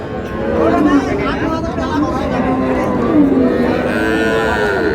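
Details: Milk cow with calf at Raniganj cattle market, Dinajpur, 4 June 2026: a long, wavering low moo that rises and falls over several seconds, set against steady market crowd chatter and voices.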